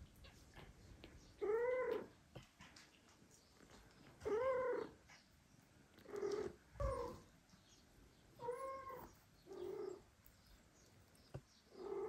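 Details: Domestic cats with two foster kittens; the mother cat no longer wants to feed them and the father cat comes to help. Five drawn-out, harmonic meows, each about half a second, spaced two to three seconds apart, over a quiet indoor background.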